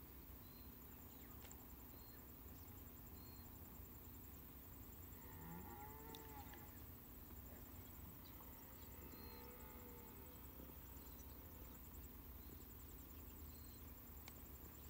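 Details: A red deer in New Zealand gives deep, drawn-out roars, low and rough, heard faintly over a steady background hum.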